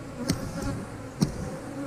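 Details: Brief low hum of honey bees at an open eight-frame hive during an inspection, with two crisp clicks from handling the frames.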